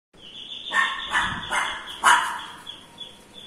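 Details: Lhasa Apso dog barking in reaction to the doorbell: four sharp, bright yaps in quick succession over about a second and a half, the last the loudest, over a steady high-pitched electronic tone that runs throughout.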